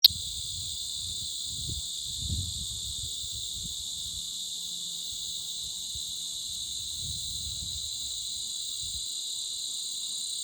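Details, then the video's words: Insanely loud insects, so loud little else could be heard: a steady, unbroken high hiss in several shimmering bands, unchanging for the whole stretch, over faint low rumbles. "Insanely loud Insect Sounds"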